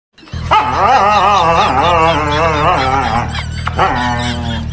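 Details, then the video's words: A Siberian Husky shouts in a long wavering, yodelling howl with wobbling pitch, then a brief pause and a second rising howl, over a low background hum. "Funny dog Husky shouting"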